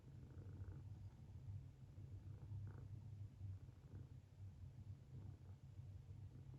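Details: Sleeping Munchkin kitten snoring with a funny sleeping face; low, soft rumbling breaths in a steady rhythm, quiet and continuous throughout.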